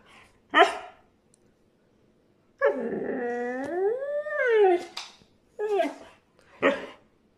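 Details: A brown male Siberian Husky complains because he wants to go outside again, giving a long, wavering, rising-and-falling howl between short sharp barks.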